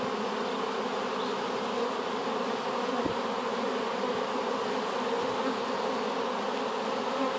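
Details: Honey bees in their new hive, a swarm taken from an apple tree, producing a constant broad hum with bands around 250 and 500, a couple of soft thuds in the middle.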